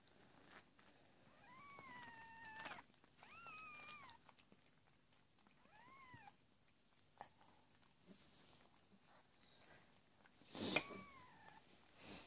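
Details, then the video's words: Indoors during the birth of a litter of four kittens to the cat Amber, February 2017: a run of four thin, arching mews spaced a second or two apart, with soft rustling and bumps between them. "My Cat Amber Gives Birth To 4 Kittens"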